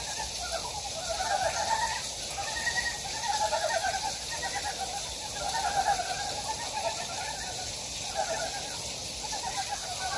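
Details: A chorus of wild frogs in a mountain stream valley at Gyejoksan, Daedeok-gu, Daejeon, Korea, giving rattling, rapidly pulsed trills that rise and fall in overlapping waves over steady background hiss.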